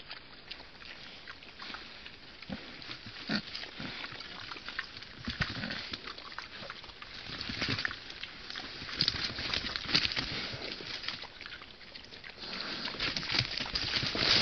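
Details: Wild boar piglet suckling from a sow: rapid, irregular soft grunts and snuffling clicks, several each second, rising and falling in loudness over a steady rustling background noise.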